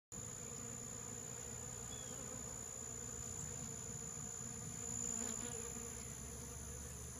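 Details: Honey bees swarm Rio Grande Purslane at the LSU AgCenter Hammond Research Station, filling the air with a steady, low droning hum from many beating wings.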